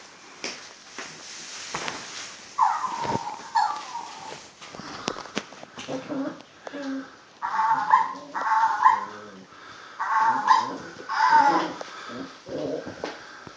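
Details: Puppy at play, giving a run of short high whines and yelps, some rising and falling, in uneven bursts with gaps between, over a faint background hiss.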